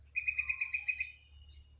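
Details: Around Chaprashirhat, a squirrel gives a quick series of about eight sharp, high chirps in under a second, then trails off into faint rustling over a low background hum.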